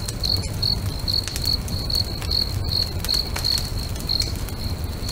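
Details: Singing crickets by a lake at sunset give short high chirps repeated a little over once a second, mixed with popping, crackling bonfire sounds and low rumble.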